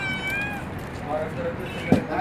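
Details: Stray mother cat with two kittens found on a street: a thin, high, steady meow lasting about half a second, followed by fainter, lower sounds over constant street noise and a brief thump.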